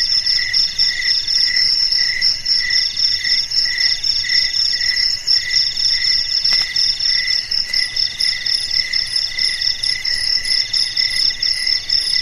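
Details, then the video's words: Night chorus of crickets in the silent darkness: continuous shrill high-pitched pulsed chirping from several insects layered together, rhythmic beats several per second, one brief click midway. "SUARA JANGKRIK MERDU DI MALAM HARI"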